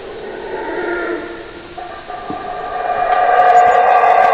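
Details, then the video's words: Howler monkey howling: overlapping harmonic roars that build in a droning chorus, growing louder over the last seconds, with no other clear sounds. "Howler Monkey Scary Sounds"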